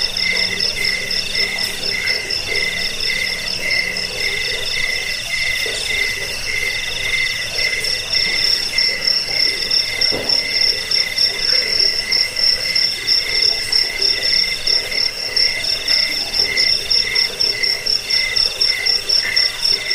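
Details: Crickets chirping in a recording meant to scare off rats, help sleep and serve as a birdsong tutor; shrill layered trills, pulsing unevenly, with a brief click near the middle and a soft low drone early on.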